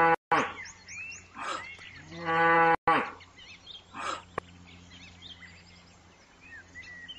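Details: Cows of various breeds lowing: a short, strained moo with stacked harmonics near the middle, plus briefer lowing bursts before and after, set against chirping birds and a steady low hum.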